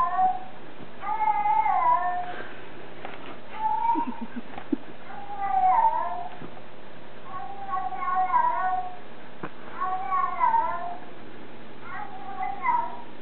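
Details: Isis, a black bobtail cat, answers another cat's talking while searching for the talking cat. Around six drawn-out meows rise and fall, coming roughly every two seconds, with a short low grunt near the middle.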